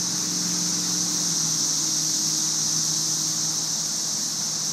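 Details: Massed cicadas from the May 2011 invasion, thousands in the trees, make a steady high sizzling hiss like white noise that never breaks; a faint low hum runs beneath the dense chorus.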